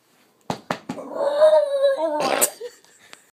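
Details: A Cairn Terrier, frustrated that another dog got the ball, gives a drawn-out, whining yowl and then a sharp bark of frustration.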